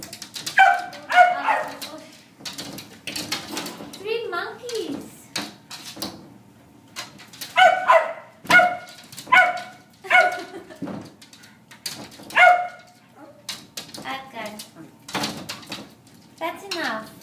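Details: Four Jack Russell Terriers yapping in short, sharp bursts, clustered barks near the start, again around eight to ten seconds and at twelve seconds, with quieter breaths and rustling between.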